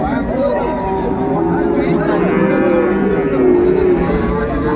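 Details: At the Ambari market in Dinajpur, 31 January 2025, where cows and calves are traded, a steady low moo holds for several seconds beneath loud talking from buyers and sellers.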